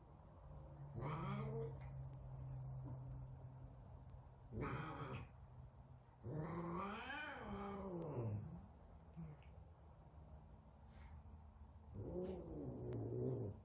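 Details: Frightened F2 Savannah cat confronting a little kitten at their first meeting: a series of deep, moaning yowls with growly undertones, four drawn-out calls rising and sagging in pitch, separated by a low continuous rumble.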